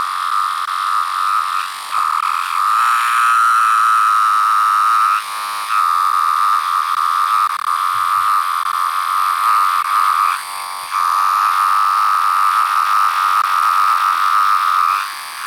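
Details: Periodical (17-year) cicada, a larger variant with yellow-brown striping under the abdomen, recorded up close: a loud, steady, high-pitched whine held on one tone, briefly dipping near two, five and ten seconds before resuming.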